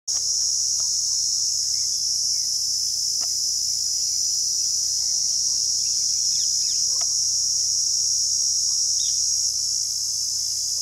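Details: A cicada in Rajsamand, Rajasthan, India, buzzes in a loud, steady, high-pitched drone that never lets up; Cicada.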